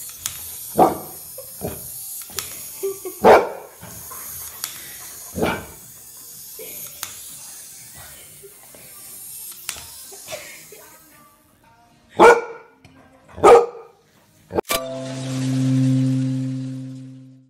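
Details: Golden Retriever playing with a toy frog, giving single sharp barks spaced a second or more apart, with a quieter stretch midway, then a long low droning tone near the end.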